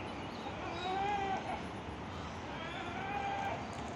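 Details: Playing goats give two clear, even, nasal bleats, each about half a second long and roughly two seconds apart, over a constant hiss of background noise.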